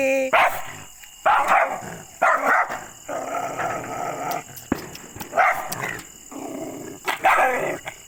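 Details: Aggressive dog giving short, harsh barks in irregular bursts, some clipped and some drawn into rough growling barks, with a woman's voice faintly in the background.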